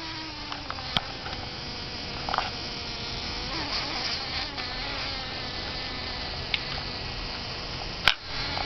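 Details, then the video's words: Fly caught in a spider's web by a window, buzzing frantically as the spider's venom takes hold. A thin, steady buzz with faint harmonic bands runs throughout, with sharp clicks near the first and eighth seconds. "spider catches a fly"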